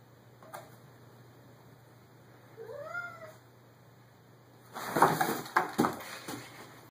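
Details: Cat defending a homemade cat condo built from empty cardboard boxes in a spare storage bedroom, giving one drawn-out meow that rises then falls, followed by a loud, harsh, noisy burst of scuffling and hissing sound indoors.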